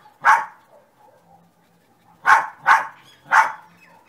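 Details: Dog called Sunny lets out one sharp bark, falls quiet for two seconds, then fires off three barks in quick succession; only a soft background hum otherwise.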